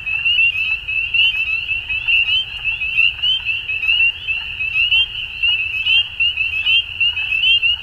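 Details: Frogs calling at dusk in spring in Ontario, Canada: a dense chorus of high, short peeping notes overlapping continuously, with pulses swelling roughly once a second over a low rumble of background noise.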